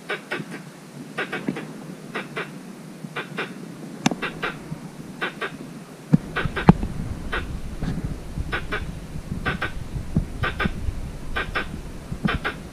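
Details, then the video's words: Squirrel in a mango orchard calling for a mate: sharp, dry clicking chucks, often in quick pairs or triplets, repeated steadily for over ten seconds, with a low rumble of background noise. ""เสียงกระรอก" ตัวจริงเสียงจริง ส่งเสียงร้องหาคู่ ในสวนมะม่วง"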